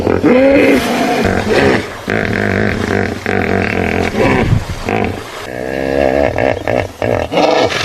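A hippopotamus gives loud, rasping, roaring bellows that rise and fall over several seconds.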